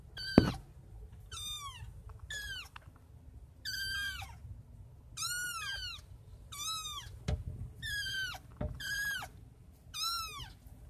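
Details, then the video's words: Kittens at night, five in the litter, calling in clear high meows that arch up then slide down, about one every second, steady and insistent, over a faint low room hum and a couple of soft knocks. "5 Kittens at night!"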